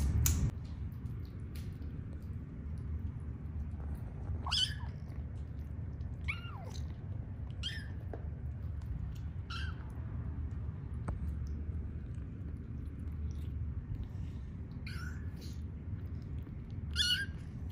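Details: Several young rescue kittens in foster care, eating, give short high mews scattered through the recording, some rising then falling, spaced a second or two apart over a steady low indoor hum.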